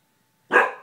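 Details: Gordie, a pet guard dog, gives a single sharp bark at someone in the hall. He rarely barks, and mostly does so at night when someone passes the door. The bark is abrupt and loud, then fades quickly in a quiet room.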